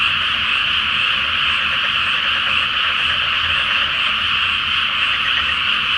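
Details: Massed frogs croak through the night in a flooded rice paddy prior to planting, full moon shining; a dense, pulsing, rattling chorus holds steady from start to finish, low rumble faintly underneath.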